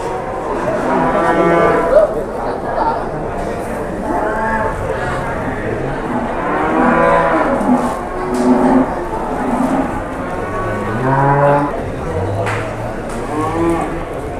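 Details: Repeated hoarse moos, roughly every few seconds, from cattle at Pasar Jelok livestock market, Boyolali, Indonesia, during the arrival of a giant cow; people talking and general market noise fill the background.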